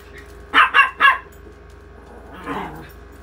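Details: Yorkie gives a rapid run of three clipped barks, followed after a pause by one softer, muffled bark; faint constant hum in the background.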